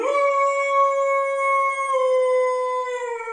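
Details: Ten-month-old pit bull puppy howling indoors to show he is unhappy: one long, steady, tonal howl, slightly falling at the end, held for over three seconds.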